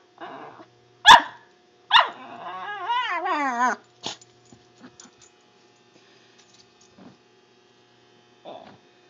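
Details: Pet dog making weird noises: a sharp bark, then a long wavering, yodel-like howl that wobbles up and down for about two seconds, followed by quieter scattered clicks and a soft grunt.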